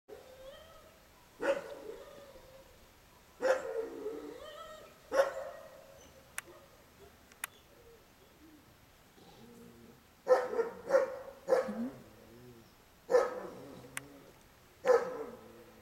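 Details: Boerboel Gipsy and Tosa Suki, two dogs, playing together: a series of short sharp barks and yips in bursts, some spaced about two seconds apart, with quiet gaps between and a few clicks.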